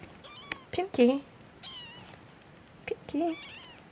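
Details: Peterbald kittens, a litter of four born in October 2013 to a Peterbald mother and Oriental Shorthair father, indoors: short thin wavering mews near the first second and again after three seconds, with quiet Dutch speech between.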